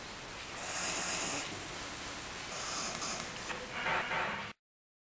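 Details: Small 3 kg dog, born around October 2008, snoring while asleep indoors: soft, raspy, noisy breaths in slow bursts, about three over four and a half seconds, with no other sounds.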